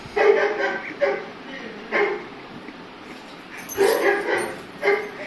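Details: Labrador Retriever reacting to a picture on TV, giving short sharp barks in uneven bursts roughly every second, with quiet gaps between.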